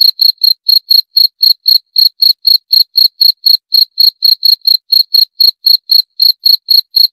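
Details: Steady run of crisp, high-pitched cricket (jangkrik) chirps, each short and evenly spaced at about four per second, unbroken throughout and without other noise.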